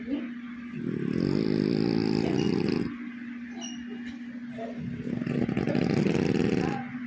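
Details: French bulldog snoring: two long, rough, pulsing breaths of about two seconds each, low and rattling, separated by a quieter pause, over a steady low hum.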